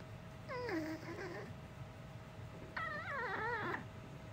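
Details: Uni, a dog with a strangely human voice that has never barked like a typical dog, produces two whiny, yodel-like cries, the first sliding downward, the second warbling up and down, in a quiet indoor setting.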